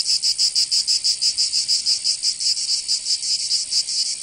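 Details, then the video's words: Summer cicada chorus from Provence in the south of France, a shrill sizzling drone throbbing in quick, slightly uneven pulses that never let up. "Canto Cigarra 🦗 [ Escuchar les cigarras en verano 10 H]"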